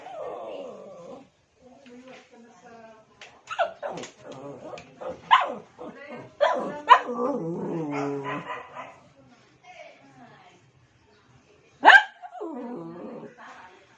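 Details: Shih Tzu; whines and barks; calling the attention of another dog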